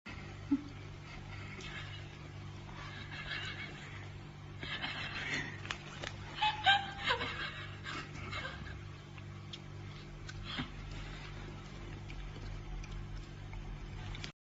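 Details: Wild boar (Sus scrofa) giving harsh, squealing calls and rough grunts in a loose burst over a low, steady hum.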